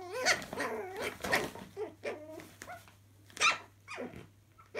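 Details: Chihuahua puppies playing indoors in a laundry room: several short harmonic yelps and whining growls rising and falling, with sharp bursts near one and three and a half seconds, quieter gaps between, and a steady low hum underneath.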